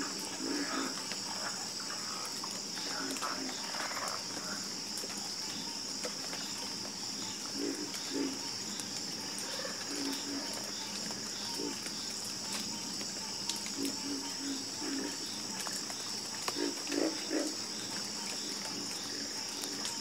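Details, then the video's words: Frog chorus with sparse, low croaks arriving in small groups, a denser run near the end, set against an unbroken high buzzing layer resembling insects. "Calming Sound Of Harmonious Frog Croaking"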